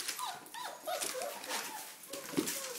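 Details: Red rust Doberman Pinscher puppies, four weeks old, playing with wagging tails and running around; a few short, rising-and-falling high whimpers and squeaks overlap one another against a soft hiss.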